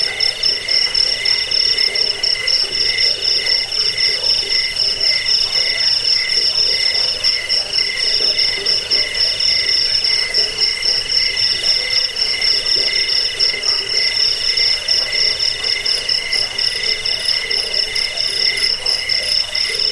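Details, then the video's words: Crickets (jangkik) for repelling rats, bedtime listening and bird training, several callers overlapping in a dense high-pitched trill that pulses rapidly and never pauses, with a softer lower chirp repeating regularly beneath. "Suara jangkik pengusir tikus pengantar tidur"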